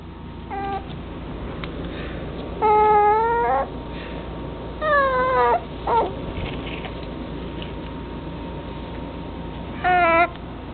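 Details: Male chocolate-dappled long-haired Dachshund puppy, June 16: scattered high whimpers in short bursts, some rising and some falling, separated by long quiet gaps over a steady background hum.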